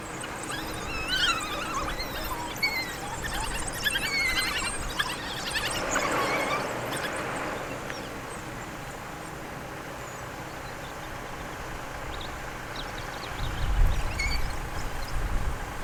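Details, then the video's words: An African wild dog pack in Kruger National Park gives high, squeaky twitters and chirps in scattered bursts, with a low rumble near the end, while the adults feed their pups by regurgitation. "Why African Wild Dogs Do THIS to Feed Their Pups"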